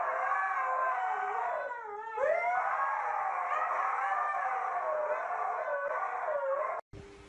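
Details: Siberian Husky giving a long, continuous wavering howl for nearly seven seconds, its pitch sliding down, swooping back up and undulating throughout, with rich overtones and a dip near two seconds before cutting off abruptly.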